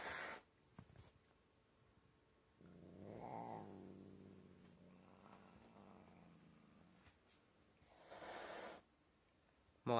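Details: A fat, angry house cat that refuses to be petted and attacks gives a drawn-out, low, moaning growl lasting about four seconds. It briefly rises in pitch near the start and is framed by a person speaking before and after, indoors.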